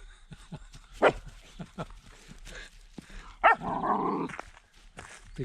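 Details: A 10-week-old female German Shepherd puppy, acting as a little guard dog, gives sharp, high yapping barks, then a rough, drawn-out growl.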